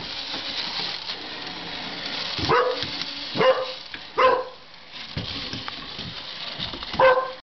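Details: Six-month-old Chocolate Labrador/Springer Spaniel mix puppy named Dewey, chasing the cat's battery-operated toy mouse, gives four short, sharp barks with a falling tone, spaced irregularly about a second or more apart, over a steady broadband hiss.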